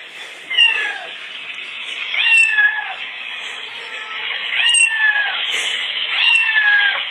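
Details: Domestic cat named Oscar answering recorded cat meows: four bent, nasal meows spaced roughly every one and a half seconds, each climbing then sliding down, over constant background hiss.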